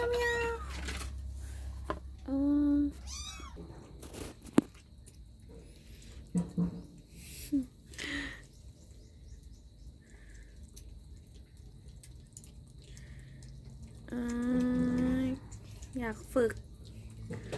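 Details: Domestic cat indoors in the morning around feeding time, giving several tonal meows, some rising then falling, separated by quiet gaps; a woman talks to the cats and brief music plays early on.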